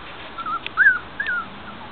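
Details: Five-week-old puppies from a Guardian and Skye litter, penned outdoors in a front yard, whimper in three short high whines, the middle one loudest with a rise-and-fall, over quiet background hiss.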